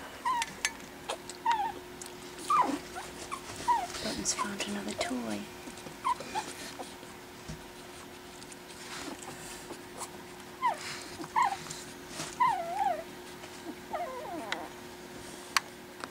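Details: Pekingese puppies, four of them at 4 weeks old, learning to play after dinner; scattered thin squeaks and whines recur irregularly across the stretch, with soft rustling and faint background murmur between them.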